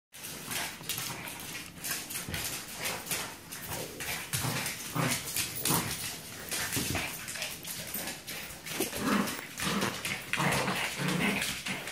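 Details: Three pet dogs play-fighting, a Yorkie named Braun and a Black Lab named Dyna against a French Bulldog named Molina: a busy scuffle of rough growls, snorts and short yaps bursting about every second amid thumping movement.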